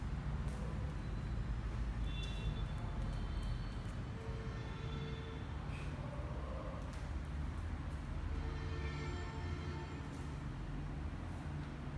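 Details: Steady low rumble like passing traffic or a train, with faint sustained musical tones drifting in and out and no animal voice.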